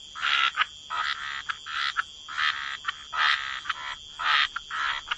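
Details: Croaking frogs in wetlands by the water, calling in distinct rasping bouts about once a second, each a short grating burst followed by a brief pause, over a steady high-pitched background tone.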